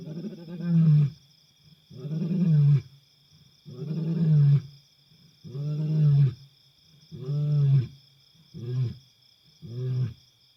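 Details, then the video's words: At night in Africa, a wild African lion gives a roaring bout of seven deep, throaty grunting roars roughly every one and a half seconds, the later ones shorter and quicker, over a constant thin high-pitched hum. "Wild African Lion roars into the night, amazing sound of lion King."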